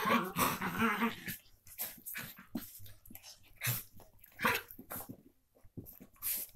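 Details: Two Miniature Pinscher half-sisters at play make a short, throaty growling whine, then scuffling huffs and snorts.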